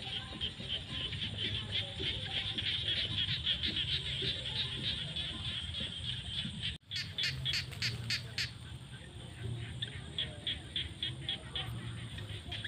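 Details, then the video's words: A chorus of frogs fills fields at sunset in the rainy season with rapid high-pitched pulses. After a brief dropout midway, a nearer caller adds louder clicking bursts over the steady background chorus. "The sound of frogs crying in the fields at sunset during the rainy season"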